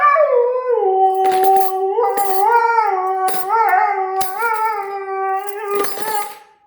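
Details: Siberian Husky howls at the sound of cutlery, a sustained tonal howl that dips low then wavers steadily, with brief metallic clinking strikes heard over it.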